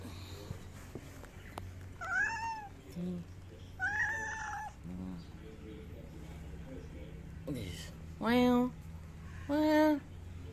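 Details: Large-bodied Angora cat meowing. Two arched, rising-then-falling meows come about two seconds apart, followed by a few short voiced sounds. Two louder, lower tonal bursts come near the end. A low hum and quiet room noise are in the background.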